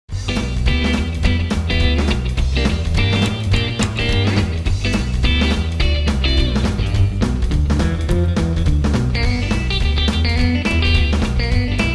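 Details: Loud rock music with driving bass and guitar fills the whole stretch, with no animal sound.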